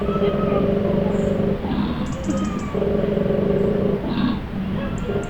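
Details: Koalas give deep, throbbing, snore-like grunts in rapid trains of rough pulses lasting over a second, with brief pauses between bursts; other koalas grunt while one tries to sleep.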